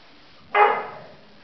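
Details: Single bark from a household with a 3-month-old Labrador Retriever puppy and an 11-year-old dog. One abrupt, rough bark lasts about half a second and fades out against a quiet background.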